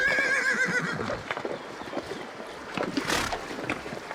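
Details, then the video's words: Horse giving a short, wavering whinny lasting about a second, followed by clattering knocks and rustling noise. "Sounds Of Familiar Animals: Dog, Goat, Horses"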